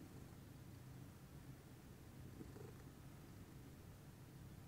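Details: Pudding, a lilac Scottish Fold cat, purring calmly in the morning: a steady, low, continuous rumble with no breaks, soft and even throughout in a quiet room.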